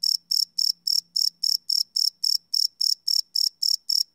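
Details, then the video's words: Night-time cricket chirps, captured live with a Sony PCM D100 recorder, come as bright, evenly spaced high pulses roughly four each second, with a soft low hum in the first half. "Cricket Chirp Sound - Cricket Sounds at Night"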